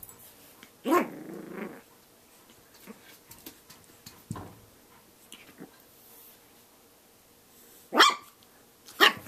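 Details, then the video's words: Snax, a Shih Tzu puppy, attacking his own reflection in a mirror indoors, with a Rottweiler joining in: a short growling bark, one sharp yap, then two loud high barks near the end, with scuffling between. "Shih Tzu Puppy vs. Mirror"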